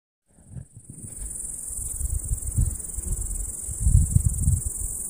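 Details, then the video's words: Cicadas on a summer meadow: a steady, very high-pitched continuous buzzing starts after a brief silence and holds unbroken, over heavy low rumbling wind noise. "Cicadas on a summer meadow"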